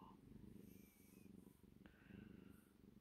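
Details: Sleepy, happy female domestic cat purring indoors: a steady, low, rumbling purr that pulses in rapid, regular cycles throughout. It is soft and close, with one brief faint click.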